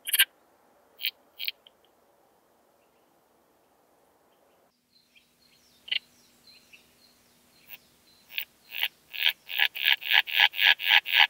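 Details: Common sickle bush-cricket singing at Scheyern, Germany, on 1 October 2020, picked up with a Pettersson D 100 ultrasound detector: scattered sharp high ticks, then a run of short clicks quickening into a regular fast series near the end.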